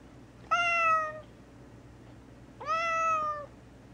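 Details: Mouse, a gray tabby house cat described as very vocal, meows while shut in a bathroom for several days and given medication when unwell; two sustained meows about two seconds apart, each rising briefly then gently falling.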